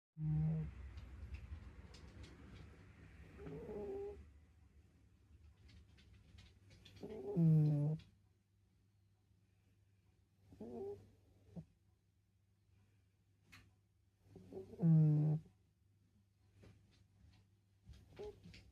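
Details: Domestic cat snoring in a quiet home: low rumbling breaths in slow cycles, each swelling into a harmonic wheezy snore about every three to four seconds, with a steady low hum underneath.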